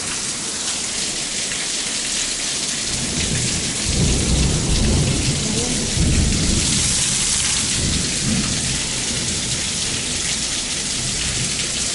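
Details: Heavy rain pattering on surfaces during a thunderstorm, with deep rolls of thunder swelling in the middle and no animal sounds.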